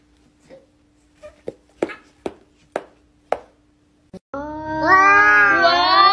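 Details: Domestic cat giving a loud, drawn-out wavering meow lasting about two seconds, rich in stacked harmonics that bend up and down, after a run of sharp, evenly spaced tapping clicks indoors.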